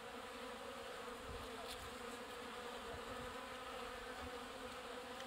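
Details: At a bee watering station, honey bees pumping water: a thick, constant buzz with stacked harmonic tones and occasional soft low thumps beneath the drone.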